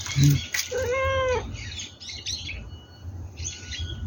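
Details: Kitten at the age of being started on dry kibble gives one clear, high, slightly arched meow lasting about half a second. Faint high bird chirps run in the background, with a short low thud at the start.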